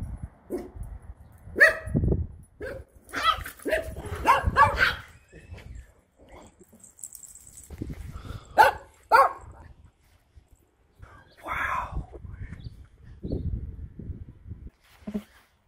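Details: Pet dogs getting jealous over each other's Halloween costumes, one a Chihuahua dressed as a bat; loud, sharp barks come in irregular bursts, some doubled, separated by quieter gaps with brief human voices.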